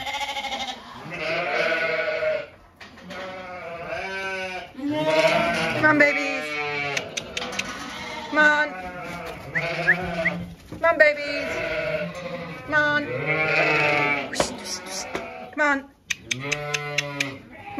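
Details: Weaned Zwartbles lambs on a regenerative farm in County Kilkenny, Ireland, being called out and moved to fresh pasture; loud wavering bleats overlap one another throughout, with a person repeatedly calling "come on babies" and music playing in the background.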